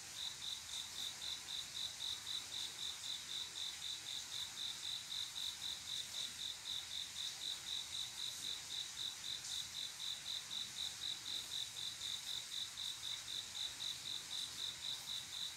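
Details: Male cricket on a quiet summer night calling to attract a female for mating; a steady chirp around four times a second, each short pulse train evenly spaced, continuing throughout against a faint high hiss.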